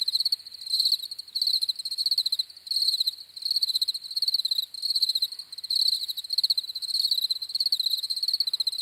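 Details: Crickets chirping steadily: bright, high pulsed trills in short bursts of rapid ticks, grouped roughly every half second with brief gaps, a thin overtone shimmering above; no other sounds.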